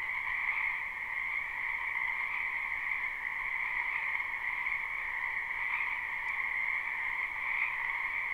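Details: Spring wetland frogs in a live, unlooped recording form a thick continuous chorus, countless overlapping high-pitched trills blending into one even, ringing hum that never stops.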